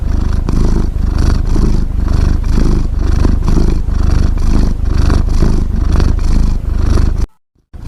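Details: Cat snoring: a low, throbbing rumble pulsing steadily about twice a second without pause, ending abruptly in a short silence.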